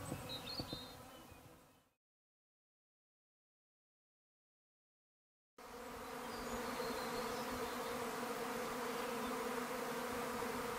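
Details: Treatment-free honey bees swarming in a garden in May. A brief buzz opens, a few seconds of silence follow, then a dense, continuous humming drone with steady low tones rises and holds to the end.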